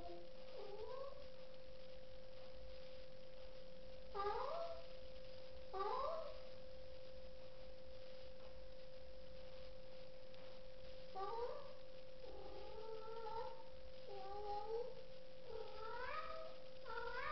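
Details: Pet cat playing with a slipper it treats as prey; short rising meows and chirrups come in bursts every second or two, over a steady high tone running throughout.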